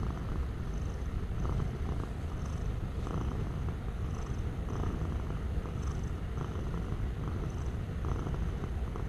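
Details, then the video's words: Low, rumbling cat purr heard up close, steady and continuous, rising slightly in a soft rhythmic pattern about every second as the animal breathes, with nothing else audible. "Suara Kucing Mendengkur"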